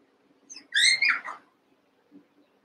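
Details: Cavalier King Charles Spaniel puppies, Daisy's six merged with Robin's two, playing together: one high, thin whimper that rises, then slides down in a short wavering yelp lasting under a second, over a quiet room.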